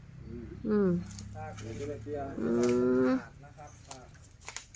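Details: An Asian elephant calls out loudly on meeting someone, and its startled mahout runs over to look: a brief falling blare, then a longer, steady, brassy call. People chat quietly before and after.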